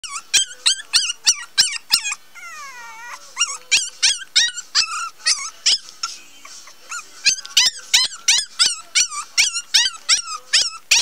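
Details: Cream male Pomeranian puppy gives high, whiny yelps, each bending up then down, repeated about three per second. The yelps pause briefly for a drawn-out falling whine, then resume in a steady stream.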